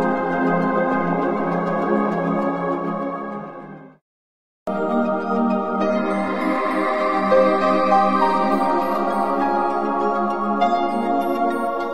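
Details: Sustained ambient organ music plays throughout, cut by a short silence near the fourth second, with no animal sounds.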